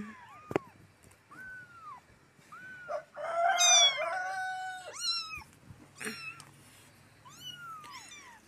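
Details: Hungry stray kittens give clear, piercing meows, each a short arch, repeated at intervals, with one longer strained cry in the middle and faint clicks between calls.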